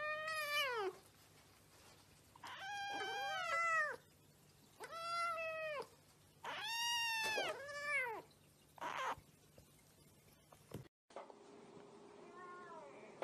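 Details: A cat meowing repeatedly: about six bright, bending meows, some short and falling, others longer and arched, spaced a second or two apart. The recording ends on a quieter, muffled meow after an abrupt cut.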